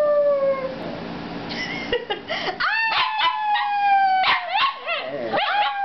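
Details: Shih Tzu singing along with a person: a brief falling note, then a run of short rising yelps and wavering howls that bend upward, repeated quickly, about four per second.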